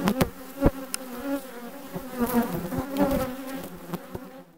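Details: Honey bees from a colony requeened in June 2020 give a wavering, harmonic buzz that rises and falls every second or so, dotted with sharp knocks, fading out at the end.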